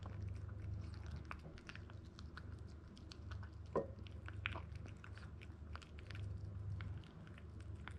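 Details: A 62-day-old male Toy Poodle, ZEN, 1290 grams, born in Japan, munching grain-free dog food; scattered sharp crunches with one louder snap midway, over a continuous low hum.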